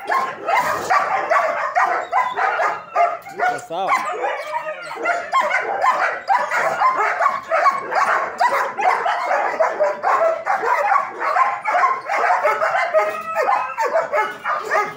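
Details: German Shepherds kept at a dog training academy bark relentlessly in a crowded, overlapping chorus, fast and irregular at around two barks each second, sustained for fifteen seconds.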